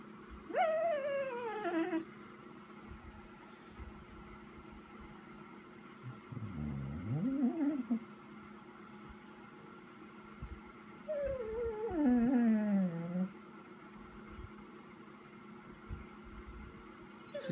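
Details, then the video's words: Vizsla named Chica waiting indoors for its owner to come inside, giving long harmonic whines and moans that slide downward, three bouts spread over the recording, with a steady household hum beneath. "Vizsla waiting for Mommy"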